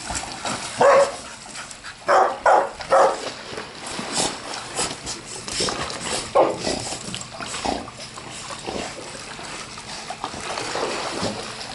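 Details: Several boarded dogs, Labradors and a husky-akita mix, playing in a backyard pool in Granada Hills, California. Short excited barks come in clusters, some doubled, over a steady hiss of water and splashing, with a voice now and then.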